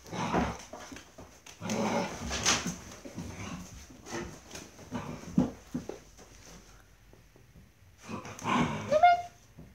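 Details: Dobermann puppies, about six weeks old or more, romping in a kennel house with varied flooring; overlapping small growls, yips and scuffles, a brief pause, then a final burst of squeaky noise.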